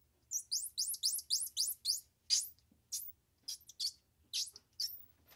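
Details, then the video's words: Squirrel monkey twittering: a rapid string of high, falling chirps at first, then looser, scattered sharp peeps and squeaks, over a faint low hum. "Squirrel Monkey Sound"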